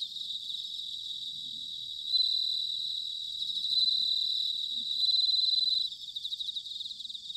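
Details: Bell cricket singing in autumn, recorded in Sanuki, Chiba, Japan: a high, ringing tone held for several seconds at a time over a steady pulsing insect chorus, with a low faint rumble beneath.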